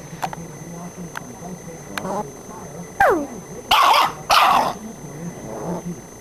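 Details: Playing pit bull puppy gives a falling whine followed by two loud, sharp barks about half a second apart, over low background chatter and noise.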